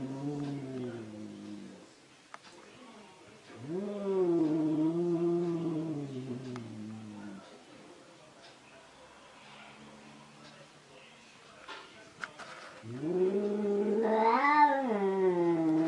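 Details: An angry cat caterwauling: two long low moaning yowls of several seconds each, separated by a quieter pause with a faint low tone, the second rising into a louder wavering wail at the end.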